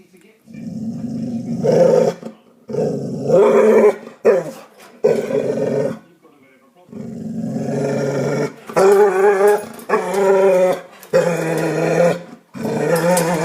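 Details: Pet dog making funny noises at a cat: a run of moaning, growly whines in bursts of one to two seconds, some wavering and rising in pitch, separated by short pauses.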